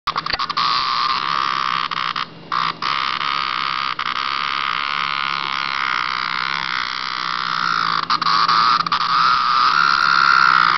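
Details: A cicada met by a pet cat, buzzing loudly and close: a steady, harsh, high drone broken by a few brief gaps, rising slightly in intensity toward the end.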